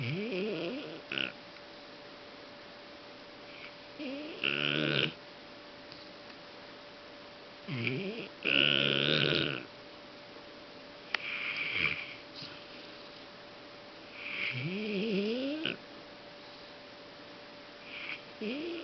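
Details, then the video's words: Fang, a Golden Retriever worn out after a dog-show outing at INTEX Osaka to support friend Blau, snores heavily in sleep: irregular breathy snorts with upward-sweeping tones, about seven bursts spaced two to four seconds apart, a quiet room between them. "ゴールデンレトリバー ファングのおおいびき"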